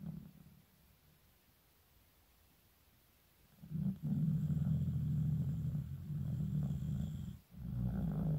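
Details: Sleeping 15-year-old Shiba Inu named Shizukun snoring in winter; after a quiet start, a loud, steady low rumbling snore runs for several seconds, broken by one brief pause.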